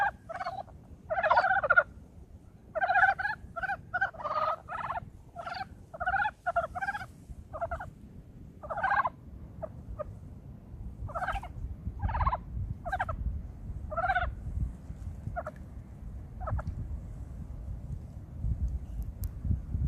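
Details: Early-spring brown frogs giving clusters of hoarse, clucking croaks, busy at first and then more scattered, over a low background rumble.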